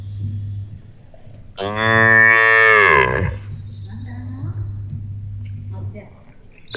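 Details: Pet cow in a village, said to be talking to its owner: one loud, rich, harmonic moo of about one and a half seconds that sags in pitch at its close, over a steady low hum with faint chirps behind.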